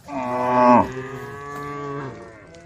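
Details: Cow in a roaming herd of brown, white and black cattle on a dusty country road, calling the herd: one long, loud, deep harmonic moo, then a quieter, lower drawn-out moo trailing off.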